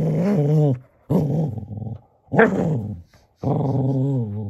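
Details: Male Cocker Spaniel indoors, playing with a toy donkey before bedtime: four drawn-out, harmonic, low growls, each about a second long, separated by short silences, with wavering pitch and a brief sharper yelp-like burst in the middle.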